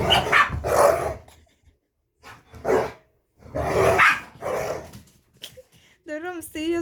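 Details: Two dogs, a chihuahua and a pit bull that became friends while the found chihuahua stayed almost two weeks; a run of harsh barks mixed with human voices, ending in a wavering, high-pitched squealing whine.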